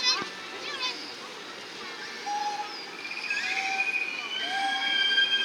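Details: Killer whales at SeaWorld San Diego, March 26, 2017, make blowhole calls during a presentation: harmonic, whistled tones that rise and fall over a murmuring crowd; communication calls, and each pod has its own dialect.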